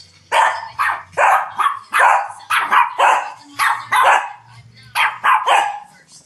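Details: A 1-year-old or 9-week-old Shih Tzu, from a 2011 household of three mellow dogs, barks over and over in bossy play: sharp, bright, mid-pitched yaps about twice a second, sometimes doubled, in short runs with brief pauses.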